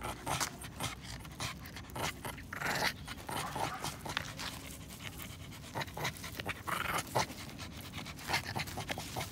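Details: A Shih Tzu in a park growls low and raspy in play during a tug-of-war over a branch it found, with bursts of panting and scuffling.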